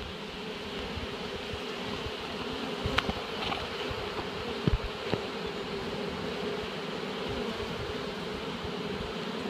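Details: Continuous dense, low humming drone of a honeybee swarm as it is shaken into a hive, steady throughout with a few sharp clicks and taps.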